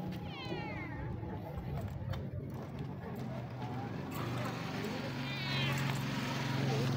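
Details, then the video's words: Sweet stray street cat calling for food: two wavering, drawn-out meows, one near the start and one near the end, over steady low traffic rumble and outdoor street noise. "This sweet stray cat keeps calling me for food"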